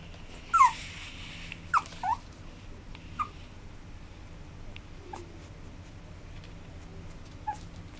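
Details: Whimpering Maltese-Chihuahua cross, 29 August 2012: a sharp rising-falling whine opens, two more thin cries follow after about a second, then one softer whine, a long quiet stretch, and a final faint squeak over steady low hum.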